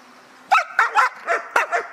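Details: Service dog doing a belongings-guarding drill at a Hà Tĩnh kennel, Vietnam: six rapid, loud barks crowded into about a second and a half, some doubled, over a quiet background.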